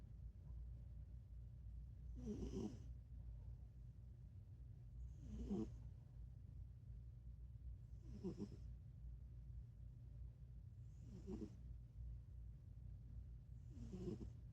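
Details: Sleeping cat snoring softly, each breath a short low rasp repeated about every three seconds, five in all, over a steady low hum.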